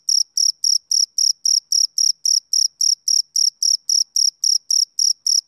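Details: High, crisp chirping of a male cricket during a summer evening, pulses repeating in a tidy steady rhythm close to four each second, isolated against silence.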